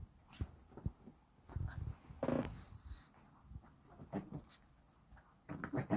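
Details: Two Shih Tzu brothers playing together at home on 12 April 2023; soft low growls, snuffling breaths and short whimpering sounds come in scattered bursts, with a louder grumble in the middle, in a quiet indoor room.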